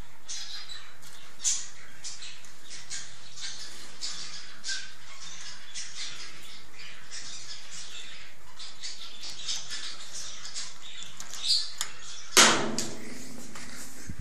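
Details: White squirrel giving a long run of short, harsh, noisy bursts at an irregular quick pace, with a louder rasping burst near the end, over a steady low hum.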